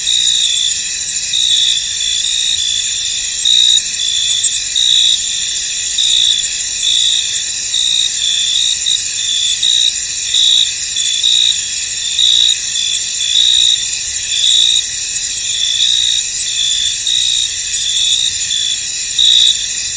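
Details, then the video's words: Many crickets calling together in a foggy field, their shrill continuous trilling layered in high bands, with a sharper pulsed chirp that swells and fades at intervals. "Tranquil Cricket Sounds In An Misty Field"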